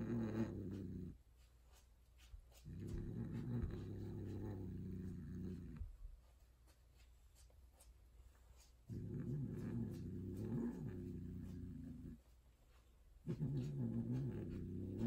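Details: A female tortoiseshell Persian cat gives long, low, growling yowls, each lasting a few seconds, while mating with a white, odd-eyed, extreme-faced Persian tom.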